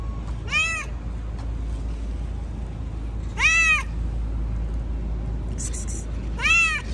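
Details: Talkative tabby cat, a stray yard cat in a city, meowing as if wanting to tell something: three clear, rising-then-falling meows about three seconds apart over low steady background hum, with a brief high hiss between the last two.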